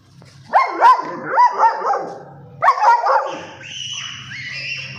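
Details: Stock coat German Shepherd barking in two bursts of rapid, throaty woofs, three or four in the first and two in the second, followed by music continuing in the background.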